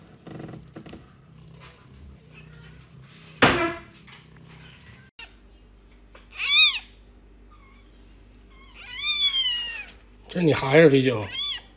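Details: A cat from a big-faced cat family makes several thin, high meows that swoop up and down, spaced a few seconds apart, among a sharp thump and a person talking.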